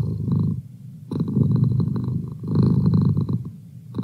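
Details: Merlin, a pet cat, purrs close up: a coarse, low vibrating rumble rising and easing in two main surges, with a softer fade between them.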